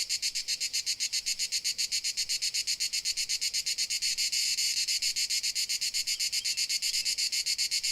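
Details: Dalmatian crickets, Croatia, keep up a dense, shrill pulsing trill, rapid chirps running together and briefly swelling louder near the middle, over a faint low hum.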